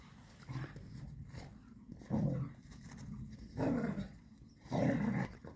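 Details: Puppies playing in the snow in a cold forest village: rough low growls and grumbling bursts, four louder ones spaced about a second or more apart, with outdoor background.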